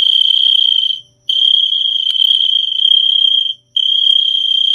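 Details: Cricket trilling loudly and steadily in a high, continuous buzzy tone, broken by two short pauses, with a faint low hum in the background.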